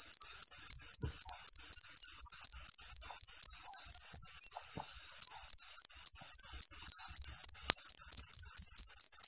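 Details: Cricket used as a training song for competition birds. A steady train of shrill, high chirps runs about four per second, breaks off for half a second midway, then resumes unchanged. Faint clicks underneath.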